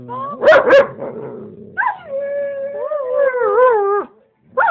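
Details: Male German Shepherd howling with his owner at home: a couple of sharp yips, then a long wavering howl that rises, holds steady and wobbles before breaking off, with a human voice joining in.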